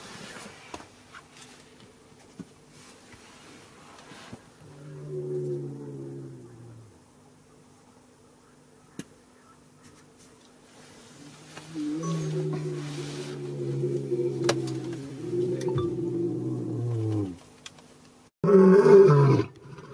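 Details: Lions filmed in Botswana: a deep, harmonic moaning roar of about two seconds, a quiet pause, then a longer drawn-out series of low, slowly falling roaring tones lasting several seconds, ending in a sudden loud burst of sound.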